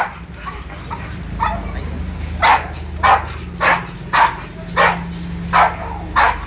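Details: Pit bulls in a street fight. Loud, harsh barks repeat roughly every half second to second, growing stronger, over a steady low hum and background noise.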